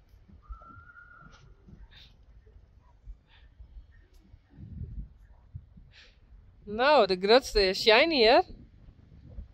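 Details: Friesian horse whinnying loudly for under two seconds, a strongly vibrating, wavering call with rich harmonics, preceded by quiet shuffling and a brief thin tone in an enclosed space.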